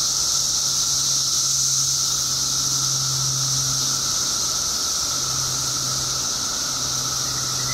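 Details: Periodical cicada chorus during a 17-year mass emergence in Illinois: a steady, piercing high drone with a lower humming band, accompanied by a deep continuous mechanical hum underneath.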